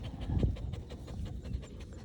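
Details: Playful dog outdoors in a sunny green field, tongue out and tail wagging, panting in quick breathy puffs over a steady low rumble.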